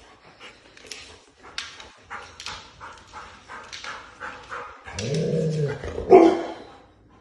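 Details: Golden retriever playing with a new toy, letting out a run of short, sharp barks about every half second, then a drawn-out wavering whine and one loud yelp near the end.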